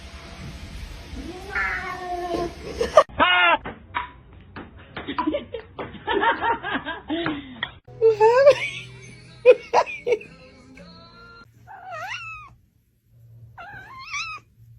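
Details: Domestic cats in a compilation of cute kittens: several short rising-falling meows, a few wavering and high-pitched, scattered between bursts of human speech and music, ending with two clear high meows.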